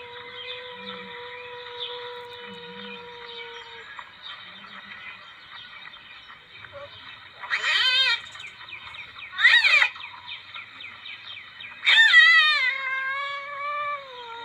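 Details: Palm civet call used as a lure: faint steady droning tones for several seconds, then three loud, wavering, harsh cries spaced about two seconds apart, the last trailing into a gliding tone.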